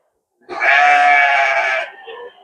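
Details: Garut sheep at the Tanjung Sari livestock market, sold ahead of Eid al-Adha, 18 January 2025; one loud, harmonic, wavering bleat of about one and a half seconds, fading into faint market voices.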